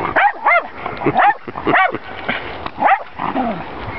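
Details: Jack Russell Terrier barking at horses: high, strained yaps and whining barks, roughly six distinct bursts in four seconds, ending in a falling whimper-like tone.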